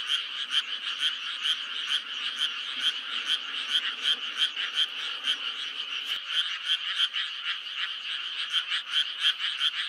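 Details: Frogs calling in May, a dense chorus of rapid pulsed croaks repeating several times a second, overlapping voices forming a steady rattling wall of sound with no other noises.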